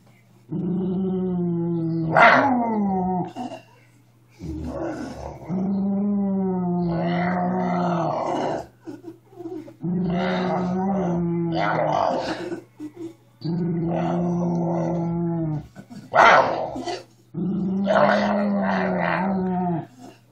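A Miniature Schnauzer growls in long, low rumbling bouts broken by brief pauses and sharper snarls.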